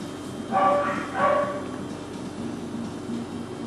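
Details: Male Cockapoo puppies, four brothers from one litter, filmed on 18 April 2014; two short, tonal yips come about 0.7 seconds apart over a low, steady indoor hum.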